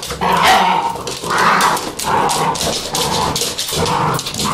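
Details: Vizsla puppies crying with high, tonal whining yelps, roughly one per second, each cry holding a steady pitch before breaking off, with shuffling and scratching noises underneath.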